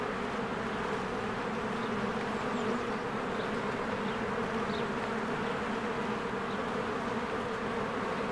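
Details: Honeybees in spring, swarms flying in and out of their hive while flowers bloom: a dense, steady buzzing hum with a strong low drone and layered overtones, unbroken throughout, with faint brief high chirps of birds above.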